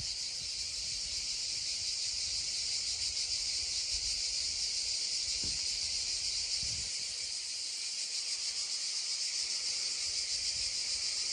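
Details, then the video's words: Droning cicadas beside a babbling stream, original sound: an unbroken shrill, even hiss-like buzz holding steady throughout, with faint low knocks in the background. "溪聲蟬鳴2(原音), babbling stream and droning cicadas 2 (original sound)"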